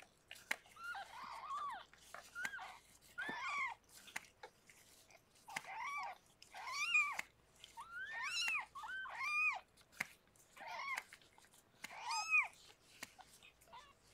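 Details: Foster cat Harlequin, rescued while pregnant, delivering six kittens indoors: steady series of high, arching mews roughly every second, some doubled, with faint rustling and clicks between them.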